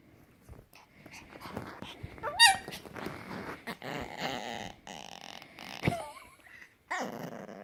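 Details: Puppy making weird noises, a mix of low rough growls and thin whimpering squeals that bend up and down in pitch, with a sharp high yelp near the middle.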